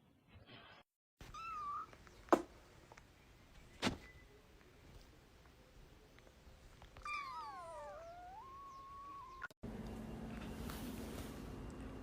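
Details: Domestic cat meowing indoors: a short wavering meow early on, then a longer drawn-out meow sliding downward and levelling off, with loud knocks, a sudden cut and a steady hum at the end.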